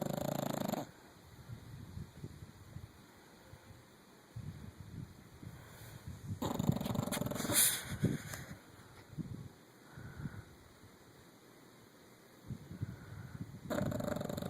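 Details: Sleeping nine-year-old female English Bulldog snoring: broad, rough fluttering snores at the start, around seven seconds, and again at the end, with quieter breathing and faint rustles in between.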